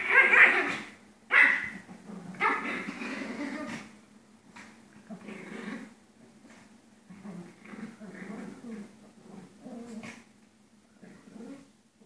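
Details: Pair of Pomeranians at rough play: a few loud snarling barks at the start, then softer continuous grumbling growls and whines through the rest.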